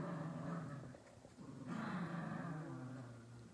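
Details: Dogs in their daily tussle over a toy squirrel, recorded 29 July 2023: low, rumbling, continuous growls with a steady throaty hum, easing briefly near the one-second mark and then swelling again to the end.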